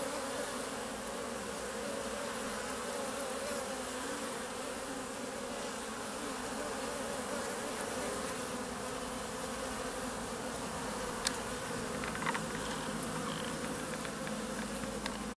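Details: Western honey bees (Apis mellifera) filmed in close-up, with the first bumblebees appearing, buzz steadily in a dense continuous drone of many wingbeats close by.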